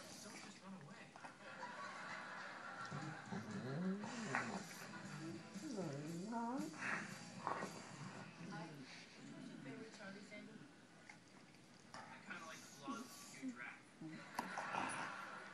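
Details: Two Rottweilers "talk" to each other, trading wavering, moaning whines and grumbles back and forth, with some human voices mixed in.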